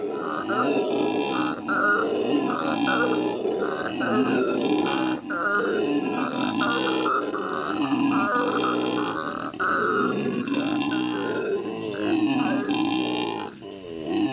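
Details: Howler monkeys howling at the L.A. Zoo in May 2014: a continuous, loud, rough roaring chorus with harsh grunting pulses and strong mid-range bands, barely pausing through the whole stretch.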